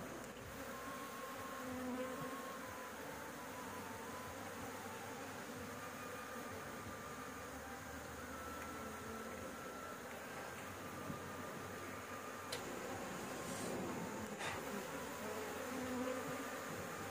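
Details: Honey bees swarming around a nest on a house roof while honey is harvested: a dense, continuous low hum that swells and fades slightly over seventeen seconds, with a few faint tonal whines and light knocks.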